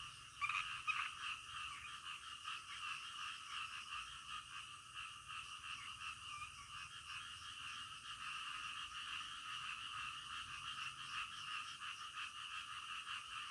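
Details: Nighttime frog chorus, many animals calling together in a steady, rapidly pulsing raspy drone that hardly varies, with a brief louder burst near the start and nothing else clearly heard.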